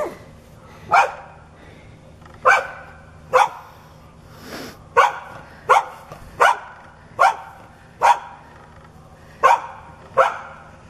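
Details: Neighbour's dog barking aggressively, growling and foaming at the mouth, charging at a person whenever their back is turned. Sharp, harsh barks sound singly at uneven intervals of roughly one second, about eleven in all, over a faint background hum.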